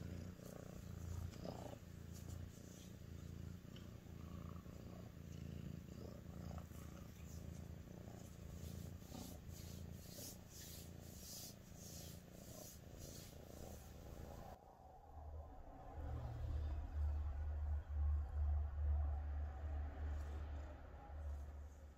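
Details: Female Sphynx cat purring affectionately to her human: a continuous deep rumbling purr with rhythmic in-and-out pulses, soft rustling and handling noise in the first part, then a louder, closer purr.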